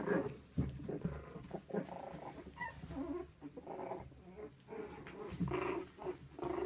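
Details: Havanese puppies making dense, rough growling and grumbling play noises, with low rumbles and brief higher squeaky bursts running almost continuously.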